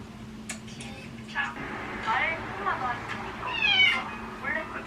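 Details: Pet cat meowing indoors, several short rising-falling meows with clear harmonics over about five seconds, mixed with people talking in a small room and steady background hum.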